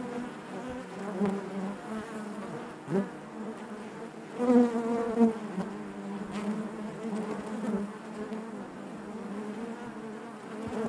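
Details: Many honey bees drone together in their hive: an even, low, resonant buzz with harmonics, brief pitch-wavering flares from individual bees near three and four and a half seconds, then a return to the steady hum.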